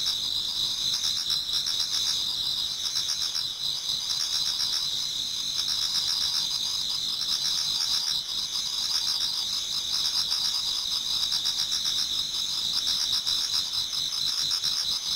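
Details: Autumn insect chorus from a Japanese garden as dawn approaches. A continuous high-pitched trilling of many singers layered in two tight bands, with rapid pulsing throughout and a constant level.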